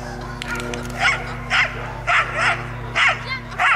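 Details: Belgian Shepherd at a national breed show agility event, giving six sharp, evenly spaced barks about every half second over a steady low electrical hum.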